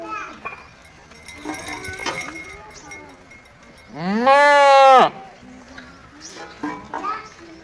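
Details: One strong, wavering goat bleat of about a second, rising then falling in pitch, set against background clatter, metallic clinks and distant voices.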